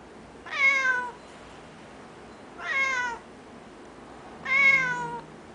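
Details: Noisy Japanese cat repeating a whining meow, "neowwn", three times at roughly two-second intervals; each call is harmonically rich and sags downward toward its end, with only faint room hiss behind.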